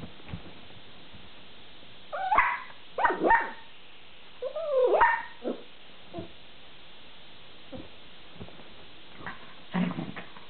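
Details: A long-haired dachshund puppy indoors, loudly protesting that the other dachshund keeps the treat from her: a series of high, wavering whines and yelping barks in bursts, with a drawn-out bending whine near the middle and quieter yips after.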